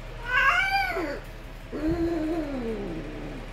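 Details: Himalayan-Persian cats at a breeding cattery during mating: a high, wavering yowl that falls in pitch and lasts about a second, then a lower drawn-out moaning caterwaul lasting about two seconds.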